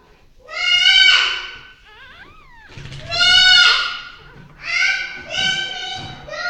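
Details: Six-day-old Staffordshire Bull Terrier puppies give loud, high, nasal crying squeals about a second long in bursts, with a thinner whine that slides up and then down.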